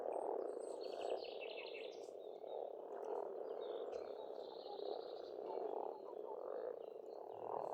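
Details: Spring chorus of frogs at a pond on an Estonian farmstead, a rich rolling croaking that swells in waves, with bird chirps and a buzzy trill high above.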